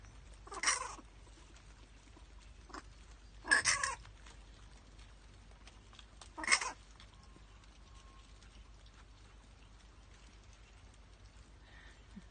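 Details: Orphaned or rehabilitating bats, not pets, during the day; three harsh, broadband squawks spaced a few seconds apart, with faint scratching and quiet gaps between.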